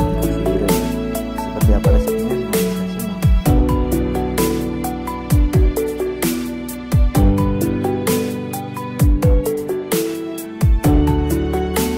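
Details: Melodic instrumental music with plucked and struck notes and a steady beat plays throughout, with no animal sounds.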